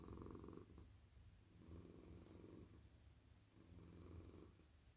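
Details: Very friendly male domestic cat lying relaxed in a lap while petted at night, giving a soft, even, low purr that swells gently in three slow breathing waves.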